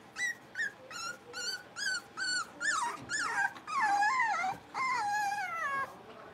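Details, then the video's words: Five young blenheim Cavalier King Charles Spaniel puppies at play in their indoor pen; a run of evenly spaced short yips gives way to long, wavering, pitch-bending whines and squeals. "Cavalier Puppies Livestream: Playing, Barking, and Learning"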